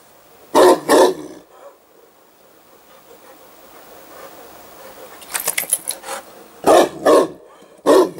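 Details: Newfoundland dog catching sight of a hedgehog; a pair of deep barks opens, a quieter rustling stretch follows, then further loud barks in pairs toward the end.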